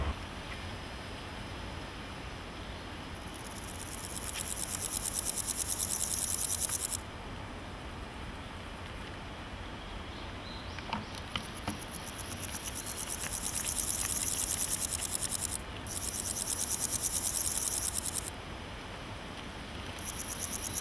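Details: Naki-inago grasshopper in grass, a singing male scraping hind legs on wings, probably as courtship: several bursts of high, hissing, finely pulsed buzzing, each lasting a few seconds with quiet gaps between, over faint low rumble and occasional rustles.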